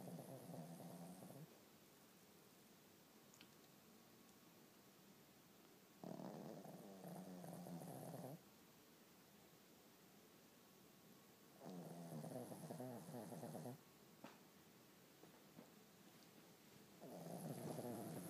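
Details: Dog snoring in its sleep, giving slow, raspy, buzzing breaths about two seconds long, recurring roughly every five seconds with quiet gaps between, low household hum underneath.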